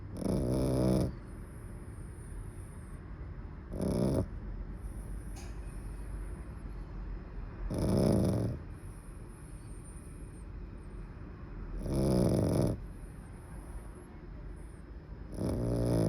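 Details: A napping dog snores in slow, regular breaths, a low rasping snort roughly every four seconds, with quiet pauses between and a faint high hiss in the background.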